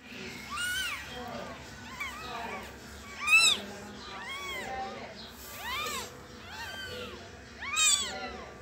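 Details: One-day-old kitten mewing, thin high squeaky cries with arched pitch repeated about every second, some overlapping as if several kittens call together, quiet background.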